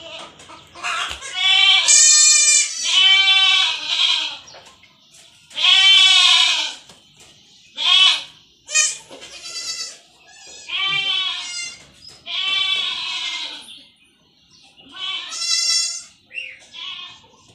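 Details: Kid goats receiving iron shots cry out in a long series of urgent bleats, some clustered close together, others spaced a second or two apart, rising and falling in pitch and strength.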